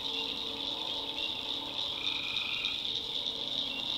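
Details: Swamp at night in backwoods North Carolina, tree frogs forming a constant high trilling chorus; a single lower held call appears near the middle, over soft low background tones.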